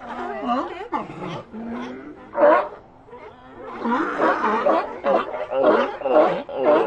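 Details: Sea lions calling together, a dense run of overlapping hoarse, wavering barks and bellows, some rising and falling in pitch, with brief lulls between bursts of several animals at once.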